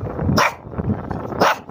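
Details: Pet Shih Tzu barking indoors: two short sharp barks about one second apart, each a brief bright burst, with quiet room noise between.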